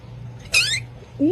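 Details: Pet cat answering its owner's request for a squeak with one short, high, downward-sliding squeak, followed by the start of a rising voice, over a low steady indoor hum.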